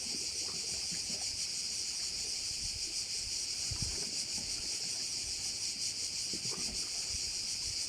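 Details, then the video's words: Korčula bay crickets keep up a steady, high, buzzing chorus that rises and falls only slightly, with some low rustling and a brief soft knock in the background. "View of one of the bays in Korcula with sounds of crickets"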